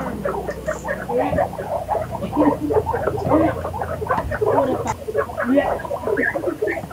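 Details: Guinea pigs making soft, low, clipped chuttering notes in a busy, irregular patter of short pulses over a faint low hum.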